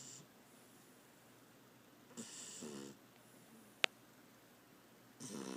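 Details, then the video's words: Beagle named Tater sleeping loudly, snoring indoors: one rasping breath near two seconds with a fainter one at the end, plus a sharp click in between over quiet background. "More snoring Tater"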